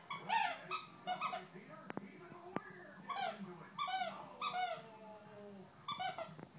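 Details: Great Dane puppy, female, 8 or 9 weeks old and newly home, whimpering indoors: clear high whines that slide downward, some drawn out and fading, with a couple of sharp taps in between.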